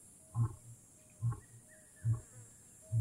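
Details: Deep, short grunts from a wild lion in Kgalagadi Transfrontier Park, four booming pulses spaced almost a second apart, low and resonant against near silence.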